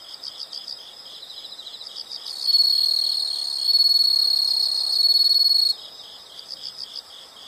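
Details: Soft rhythmic insect chirps, about four per second, frame a single loud high trill lasting roughly three seconds in the middle.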